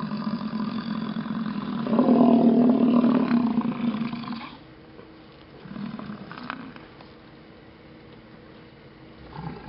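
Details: American bison herd at Yellowstone grunting during a display beside stuck traffic: a loud, low, rough bellowing grunt swells for about two seconds, then fainter grunts follow amid quieter background with faint vehicle sounds.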